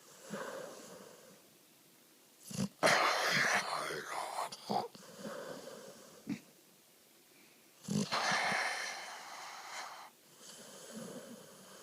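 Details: Pony, a Pit Bull Terrier rescued off the street two months earlier, talks in his sleep. He makes wheezy, breathy groans and moaning vocal sounds in two longer bouts, with short snorts and soft breaths between.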